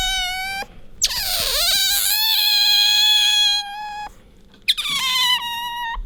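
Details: Pet otter named Bingo squeaking while rubbing up against its owner indoors: long high whistled squeals with many harmonics, one sliding down then holding steady for about three seconds, another starting high and easing lower.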